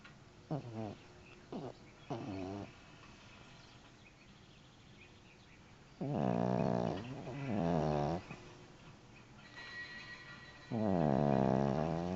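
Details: Winnie, a pet dog who snores like this all the time and sometimes louder, snoring: three short rasping snores early on, then longer buzzy, harmonic snores of about a second each with quiet gaps of one to three seconds between them.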